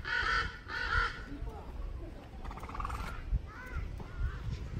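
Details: A male Grévy's zebra at the Los Angeles Zoo gives two rough, harsh, donkey-like braying calls in quick succession with a grating edge, followed by quieter murmuring voices and background noise.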